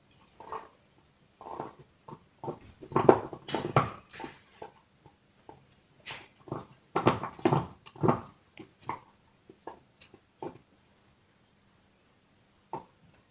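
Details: A dog chewing a bone: irregular bursts of crunching and gnawing, some clustered in quick runs, separated by short quiet gaps, with a faint steady low hum underneath.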